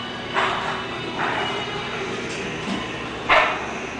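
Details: English Bulldog named Clay giving four short, hoarse barks spaced about a second apart, the third lower and softer, over a steady hum of background noise.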